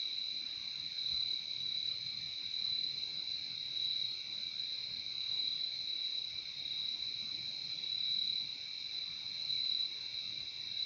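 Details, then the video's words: Insect night-sound ambience of crickets: a constant piercing trill with faint rhythmic pulsing and a weaker lower band, sustained for the full eleven seconds without other sounds. "Relaxing sound of crickets"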